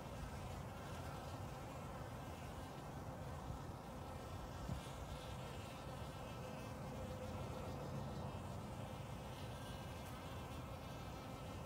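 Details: On March 29, 2021, in spring, honey bees drink water from a shallow bucket lid in a steady, low, unbroken droning buzz, with spring birds in the background.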